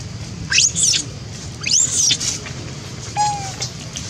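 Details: A monkey screaming loudly because it needs food; short, shrill, very high squeals rise and fall in quick arching sweeps, a few in a row with brief pauses, over a low background rumble.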